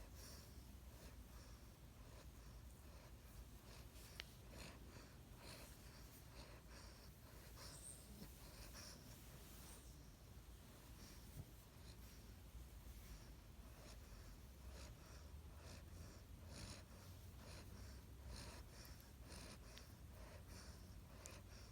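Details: A 7-week-old Great Dane puppy snores softly, with breathy snorts and wheezes in a quiet room.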